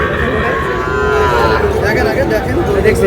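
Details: Sahiwal bull calf cattle from Narail giving a brief, fairly high-pitched moo with clear overtones near the one-second mark, while people talk and murmur around it.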